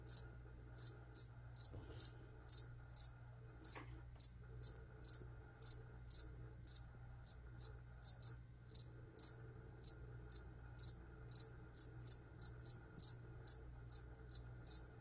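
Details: Cricket chirping through an ASMR plant-spraying session: bright, high, clipped chirps repeated rapidly, sometimes in quick pairs, about every half second, over a low electrical-sounding hum.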